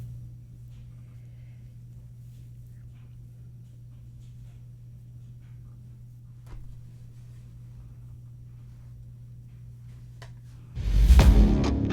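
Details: A steady low hum in a quiet small room with faint clicks, then a loud rustling burst near the end; no animal voice is heard.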